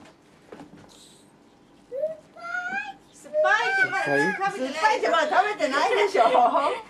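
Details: Indoors, husky Ririka cries over a mandarin taken by husky Cookie while the two squabble over who eats the fruit; short rising whines, then a long run of wavering, talkative howl-whines.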